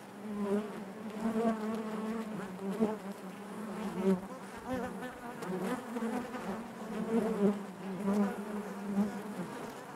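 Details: Inside a honey bee hive, many bees make a continuous low droning buzz rich in overtones, rising and falling gently in waves, with faint ticking sounds scattered through.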